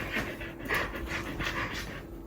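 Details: Pet Border Collie named Xika panting steadily at home, quick breathy huffs repeating about three times per second, with a faint steady hum underneath.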